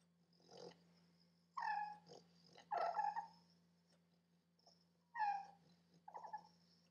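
A sleeping English Bulldog lets out short, squeaky whimpers and nasal moans in scattered bursts.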